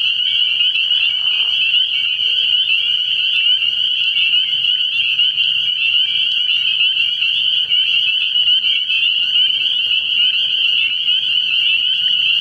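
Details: A frog pond at night in early spring, full of spring peepers: countless shrill, high peeps blend into one constant ringing drone, with soft low rumbles underneath.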